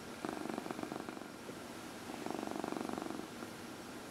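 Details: Indoor domestic cat, a 14-year-old female, purring while getting a massage during early evening lap time; rapid rhythmic pulsing purr in two bursts separated by a short lull.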